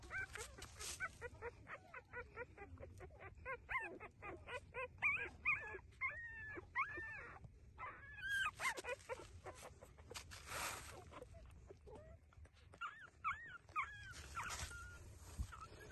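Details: Puppies nursing from their mother give a stream of high, thin whimpers and squeaks, many arching up and falling, some in quick runs of short rapid chirps, with brief rustling between bursts.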